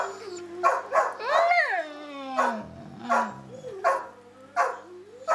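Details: Pet dog Samson vocalizing in conversation with Josie, one long arching howl-like whine that climbs then falls into a low grumble, followed by brief yips and a woman's encouraging voice.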